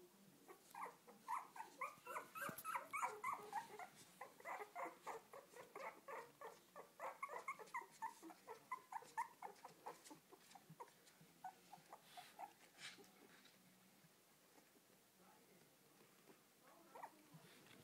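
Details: Mother dog with her puppies, indoors: dense run of short high whines and squeaks, roughly three or four a second, louder in the first half then fading to faint scattered yelps.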